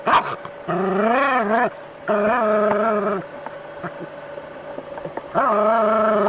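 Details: Dog facing a snake, letting out three long, rising-and-falling whining barks separated by quieter pauses with faint clicks, over a constant low hum.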